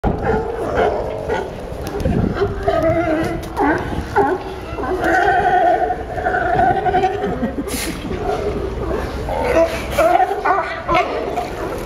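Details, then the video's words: Sea lions at Pier 39, Fisherman's Wharf, San Francisco, in a dense chorus of overlapping hoarse, harmonic barks and honks that rise and fall continuously, with one brief sharp noise near the eight-second mark. "Sea Lions making funny Sound"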